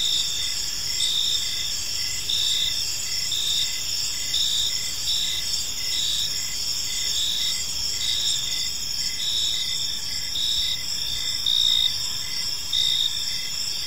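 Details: Evening park chorus of crickets: layered high-pitched trilling runs without pause, with brief regular chirps repeating roughly every half second and a soft background hiss.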